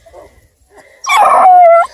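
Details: Nine-week-old Bluetick Beagle cross puppies from a litter near Kingston, Ontario, Canada, parents deer dogs; faint whimpers, then a loud drawn-out yelping howl that slides downward and holds for about a second.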